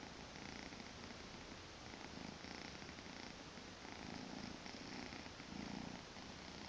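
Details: Maine Coon kitten Tommy, two months old, purring contentedly one weekend morning; a low, fluttering drone rising and falling with each breath, growing slightly louder toward the end, nothing else audible.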